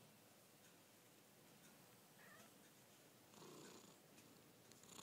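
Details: Purring from a pet cat, one of two kept together, a Chartreux and a chinchilla Persian, indoors; a soft, steady rumbling drone that grows slightly louder midway, with light handling rustles.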